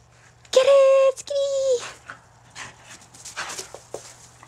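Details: Skid, a red and white female Border Collie, during a game of fetch: two drawn-out, steady high whines, each about half a second long, with a short break between them, followed by a man's voice and faint rustling.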